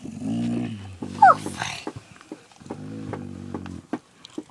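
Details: Camping pet dog, male, giving three low rumbling growls of about a second each, separated by short gaps, possessive over a toy; a brief high squeak and faint voices break in between.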